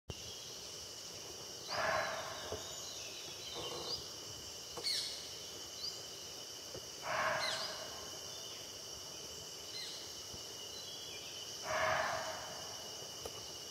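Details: Barking deer in Jim Corbett Park, India, barking in alarm after sensing a tiger nearby: three loud, short, harsh barks about five seconds apart, over a steady high buzz of insects.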